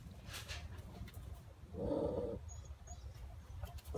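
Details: Phu Quoc Ridgeback puppy, 2.5 months old, a descendant of Vằn and Mowgli, showing early hunting instinct; one mid-pitched, rough bark-growl lasting about half a second over low background rumble and brief rustling.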